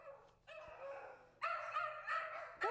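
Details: A poodle's recorded barks, drawn-out and tonal with a whiny edge, played through a small speaker to condition a puppy to stay calm at barking sounds.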